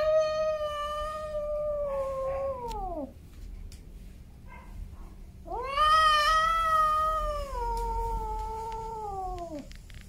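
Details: Male domestic cats named Snowy and Milo: two long drawn-out meows, each holding a steady tone then sliding downward at the end, separated by a quiet gap of about two seconds.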